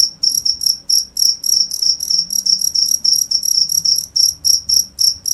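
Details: Cricket chirping steadily, a high, pure trill pulsed about three to four times per second, each chirp ringing with a fainter overtone above, against a quiet, still background.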